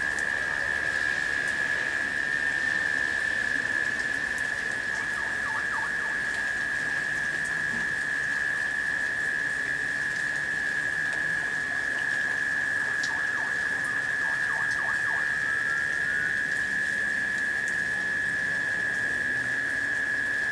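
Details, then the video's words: Late summer, a shower of rain falling as cicadas keep up a steady humming, a continuous level drone without pause; brief soft bird-like chirps appear midway, and rain hiss fills the background. "The Sounds of Rain and Cicadas"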